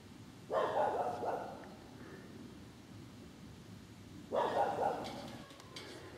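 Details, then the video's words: Green frogs, about forty calling on 27 September at 30 °C, as the first cranes pass toward Spain; two bursts of rapid, rattling croaks, each lasting about a second, separated by quiet. "Grenouille verte"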